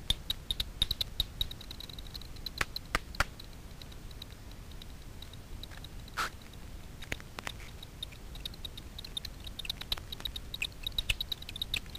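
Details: Daubenton's bats foraging at night for insects on the water surface over Miedwie lake, north-west Poland; echolocation via frequency-division ultrasound detector, heard as dry, irregular ticks and clicks over a steady hiss.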